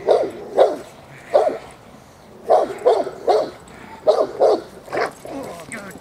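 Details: Presa Canario J7's Kelly of the Irema Curto line working in protection training at De la Arena field, Germany, barking deep and hoarse in clustered pairs and triplets, roughly every second, with short pauses between bursts.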